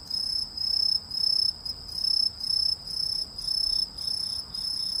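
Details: Cricket or grasshopper of uncertain identity: a high, shrill, buzzy chirp in steady bursts, about nine pulses in five seconds, each a short ringing trill separated by brief gaps, over faint low background hiss.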